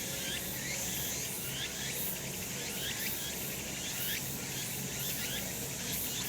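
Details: On a sunny summer mountain, cicadas keep up an unbroken high buzzing drone with rhythmic pulsed surges near the top, while short rising chirps repeat roughly every half second in the middle range, all above gentle outdoor rumble.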